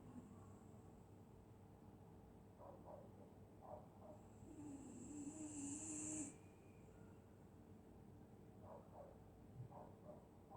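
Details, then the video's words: Sleeping dog snoring through a winter night in Scotland: faint soft puffs, then one drawn-out raspy breath that builds for nearly two seconds and cuts off sharply, against a quiet low hum. "Dog snoring in Winter night"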